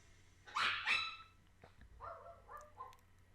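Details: Recorded schnauzer barking, played back during a microphone noise-cancellation test: two sharp, loud barks in quick succession, then three softer, muffled barks after a pause.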